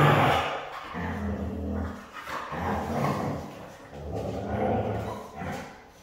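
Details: Siberian husky, described as hard to train, giving low, rough, drawn-out grumbling vocalizations in uneven bursts, with a deep throaty tone and brief pauses between phrases.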